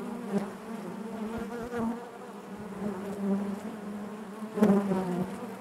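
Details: Inside a honey bee hive, a low, even buzz of many bees fills the recording, with a few sharp taps near the start and a louder knock toward the end.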